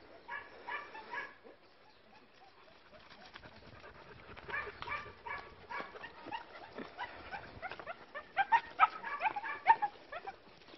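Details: Several short-haired, working-line German Shepherd puppies, bicolour and black, whine and yelp in high, harmonic bursts, irregular and overlapping, grouped into quick runs that grow louder toward the end.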